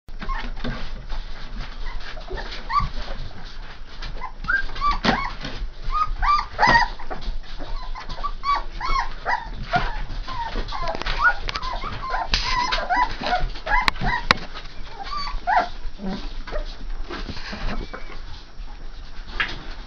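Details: Saint Bernard puppies, three and a half weeks old, whimpering and squeaking in many short, high, wavering cries that overlap throughout, with light rustling and handling noises underneath.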